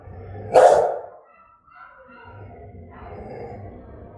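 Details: Aggressive Rottweiler, German type, in Vietnam: a single deep, harsh bark followed by a drawn-out low growling rumble.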